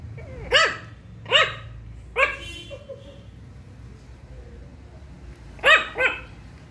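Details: Shih Tzu puppy barking for the first time: five short, high, yappy barks, four spaced about a second apart, then a quick pair near the end, with quiet room background between.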